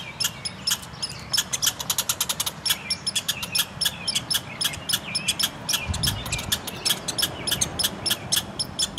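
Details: Quarrel between two red squirrels in a front yard: fast rattling chatter, a dense run near the start, then evenly spaced sharp pulses, with a short low thump around the middle.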